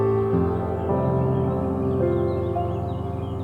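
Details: .Soft ambient instrumental music with sustained tones plays throughout, and no animal sound is heard.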